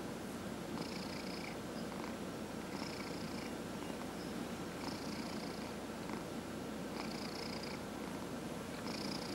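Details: Massaged house cat giving an unbroken low purr, a dense rolling vibration, while the hand's rubbing strokes come at steady intervals of roughly two seconds.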